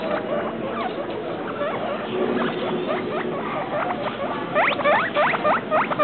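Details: Two pet guinea pigs, Travis and Shane, called two weeks and three days, chatter with soft squeaks that grow into loud, sharp rising-falling chirps toward the end, about three or four a second, over background hiss.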